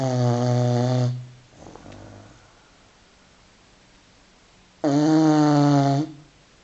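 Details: Filby, a five-month-old Continental Bulldog taking a beauty sleep, snores indoors. Two loud, rich, rumbling snores, each about a second long and about four seconds apart, with quiet breathing between them in a still room.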